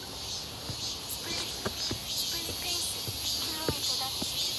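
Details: Cicadas buzzing near Seonbawi on a hot, clear day, 1 August 2023, during a midsummer walk; a shrill steady hum swells slightly, with footsteps and brief low tonal sounds in the background.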